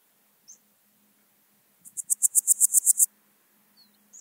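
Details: Podismopsis keisti, the Swiss gold grasshopper, singing at Wildhaus, Switzerland, in October 2022: one burst of about ten crisp, evenly spaced pulses rising in loudness over a second, with a few faint isolated ticks before and after.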